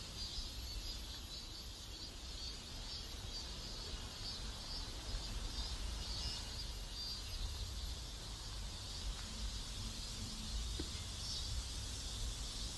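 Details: Cicadas in a South Korean neighborhood keep up a continuous high, hissing drone with faint wavering bands, set against a constant low outdoor rumble and a brief soft tone near the tenth second.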